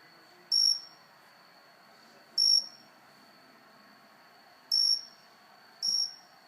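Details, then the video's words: Cricket close up on a house plant indoors, giving short bright high chirps roughly every second or two, four in all, each with a faint higher overtone, over a steady thin high tone and quiet room hum. "Cricket making cricket noises."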